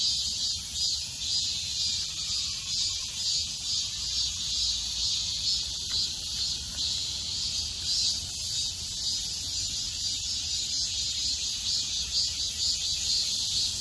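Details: Midsummer cicada chorus, a continuous shrill metallic whirr with a gentle rhythmic throb in its upper band, briefly dipping in loudness near the middle before resuming at full strength.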